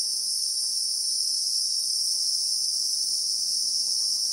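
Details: Christmas beetle (Anoplognathus) chorus in South African bushveld, real-time recording: an even, intense high-pitched hum that never pauses, with a faint low tone near the end.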